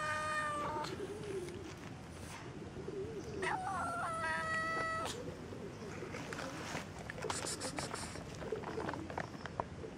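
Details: Kitten giving two drawn-out, tonal meows, one at the start and a longer one a few seconds later, with quieter rustling and faint background noise between them.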